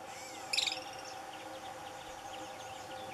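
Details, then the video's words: Two wild Franklin's ground squirrels fighting at Douglas Regional Park around 8 am on July 30, 2018; a single sharp, harmonic squeal bursts out briefly over a steady hum, with faint bird chirps in the background. "Franklin's Ground Squirrels fighting"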